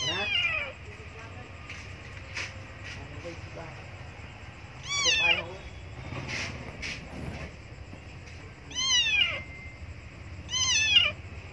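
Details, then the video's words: Abandoned kitten crying for milk: four short, high, falling meows spread across the stretch, roughly every two to three seconds, with a man speaking quietly and clicks and household noises between them. "Abandoned Kitten Cried Meow Meow So Loudly Coz She Need Milk."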